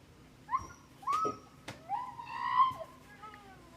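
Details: Three-year-old male Siberian Husky, tied out, screaming in a strange high voice likened to a little girl; several rising and wavering tonal cries with harmonics, some sliding upward then falling, separated by sharp clicks, in a quiet room-like setting.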